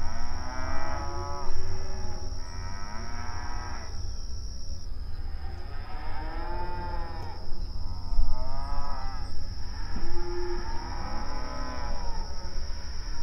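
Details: Grazing cattle on open range pasture communicate with a series of moos, first two clear drawn-out calls, then a run of overlapping arched lowing from several animals, with a steady low hum beneath.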